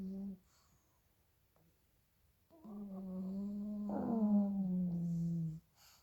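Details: Loud snoring from two small pug puppies sleeping indoors, one short nasal tone, a lull, then a three-second droning snore with a brief rough snort in the middle.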